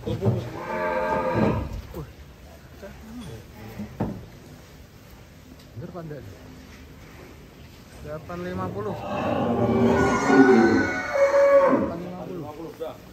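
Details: Giant cattle of Bintang Tani Farm being unloaded from a truck: a deep, harmonic moo near the start, then a longer, louder drawn-out bellow toward the end, with men talking throughout.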